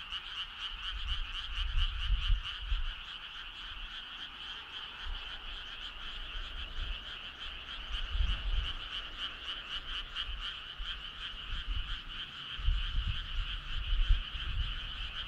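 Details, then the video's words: Midsummer night frog chorus, a steady droning trill with rapid, even pulsing clearly audible in the higher band. Occasional low rumbling bursts come and go, louder near the start and end. "Cool frog sound"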